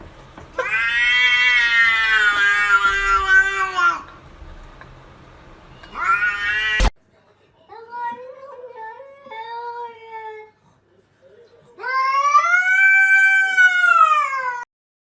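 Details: Kittens meowing loudly: a long, drawn-out meow, a short one, a few softer lower mews, then another long wavering meow, with quiet gaps between calls.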